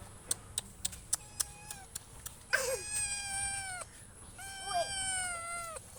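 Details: Domestic cat giving two drawn-out meows that fall slightly in pitch, each lasting over a second, after a run of sharp tapping clicks in the first seconds.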